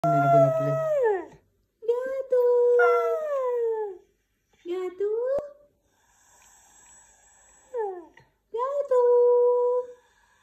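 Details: White husky talking with four drawn-out, tonal, howl-like phrases, some sliding steeply downward, others rising then holding steady, separated by short pauses and a faint hum between them.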